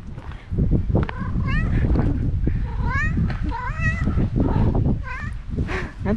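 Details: Stray cats in a park known as the mini island, gathering around while one is petted: several rising-falling harmonic meows from more than one cat overlap in quick succession, over a steady low outdoor rumble and a man's voice.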